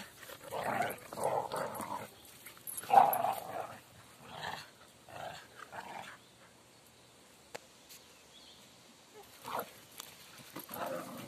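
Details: Whippet, a female dog, doing her usual vocal routine: low grumbling, growl-like moans in short bursts of about a second, repeated irregularly with brief quiet gaps between.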